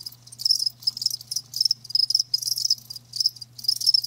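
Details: High, shrill cricket chirps come in dense pulsed bursts about twice a second, separated by brief quiet gaps, while a low electrical-sounding hum runs beneath.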